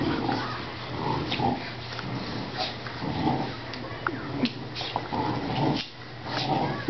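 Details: Play growls from a 5-month-old blue pit bull and a 2-year-old 70-pound English bulldog tugging against each other, rough bursts of growling and snorting broken by scuffles and clicks, as a person speaks at times.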